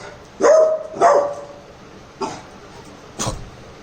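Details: Labrador puppy Cherry from Jaipur, pranked to see if it would act protective, gives two strong barks half a second apart, then two shorter, fainter barks about a second apart.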